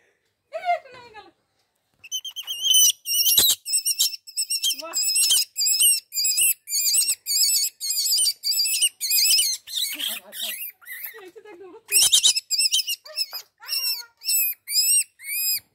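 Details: Baby rabbit screaming: rapid series of high, shrill, harmonic squeals, each briefly rising then falling, repeated about twice a second in bursts with short pauses, plus a few lower, softer sounds between them.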